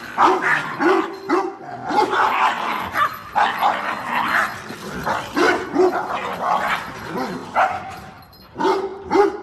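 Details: Dog out with its owner picking water spinach, barks and yips mixed into a dense, noisy background of rustling and movement, calls irregular and partly masked, a louder pair of barks near the end.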